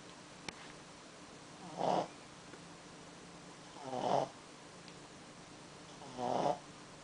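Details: A Pekingese snores while napping, slow raspy breaths returning roughly every two seconds.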